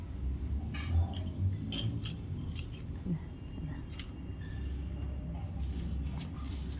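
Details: Indoor clinking of glass and cutlery with scissor snips and a faint murmur of speech over a low room hum; no animal voice is heard.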